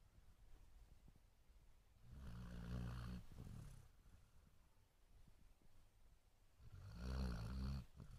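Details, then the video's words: Sleeping Basset Hound snoring: two long, low rumbling snores about four and a half seconds apart, each swelling then fading, with quiet breathing hiss between them. "Snoring Basset Hound"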